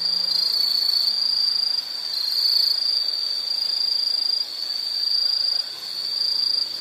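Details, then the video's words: Bright, high insect trill running without break, pulsing rapidly, with a short faint low tone at the start and gentle drops in loudness; a soothing sleep and study soundscape. "Sound · Nature Sound of nature sounds scenery L · insect"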